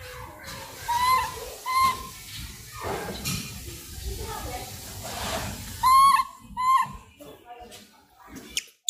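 A langur gives short, squealing tonal calls in pairs, each one bending up and down.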